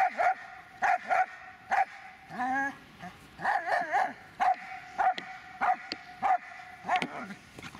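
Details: A Dobermann, Magmar Von Der Burgstätte, barks repeatedly and unevenly, several sharp barks a second at times, broken by a brief wavering whine midway and a cluster of rougher, drawn-out barks.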